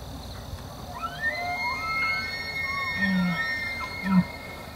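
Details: Very large bull elk bugling: rising whistled tones sweep up and fall away, followed by two short low grunts near the end.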